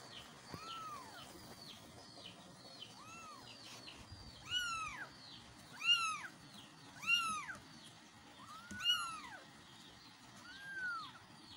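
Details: Kittens calling for their mother with repeated high, arching meows, several overlapping voices, some calls rising to sharp peaks, spaced every second or two over a faint steady background hiss.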